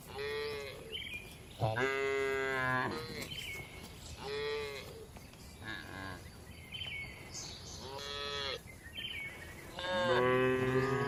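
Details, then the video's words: Several cows in a spacious farm barn, dozens of tame cattle resting, eating and moving calmly: repeated moos overlapping from different animals, some short and bright, others longer and lower, arriving every one to two seconds across the barn. "Calm Cattle Sounds"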